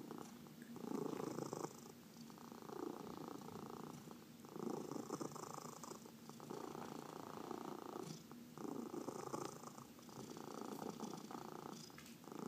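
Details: Purring house cat during a massage, one of four pets, among them senior cats adopted from the Humane Society of New York City; rhythmic rasping purr pulsing in long in-out breath phases roughly every two seconds.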